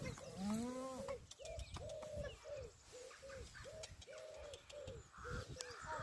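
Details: Honey, a female pet goat, gives a wavering, harmonic bleat early on, followed by a run of short, evenly spaced mid-pitched tones, with faint background noise.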